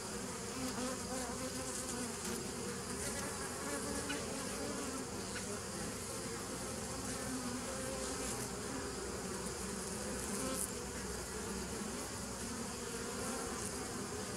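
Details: Bees humming without a break, recorded 27 September 2018, a thick low drone with a hissing upper layer and a few faint clicks scattered across the recording.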